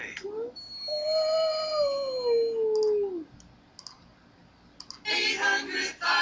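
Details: A husky gives a long, smooth howl that rises briefly, then slides steadily down; he howls every time he hears a TV commercial jingle, even played on YouTube.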